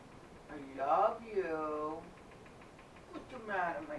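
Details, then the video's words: Simba, a house cat, meows beside a love seat, recorded indoors with a helmet cam: one loud, long, rich meow that rises then falls, followed after a pause by a shorter second meow. "Simba meowing to me"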